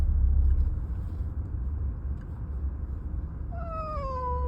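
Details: Abandoned stray cat being taken to its adoptive home, heard in a vehicle: a single drawn-out, falling meow near the end, over steady low engine rumble.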